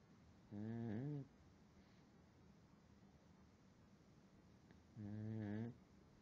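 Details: Pug sleeping at night on a pillow indoors, giving two low, nasal, buzzy snores about four and a half seconds apart, each lasting under a second, with quiet room hiss between them.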